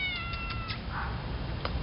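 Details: Female domestic cat stuck on a neighbour's tile roof in Pattaya, Thailand, in 2010, unable to get down and meowing loudly; one long, flat, drawn-out meow opens, followed by quiet background with faint knocks.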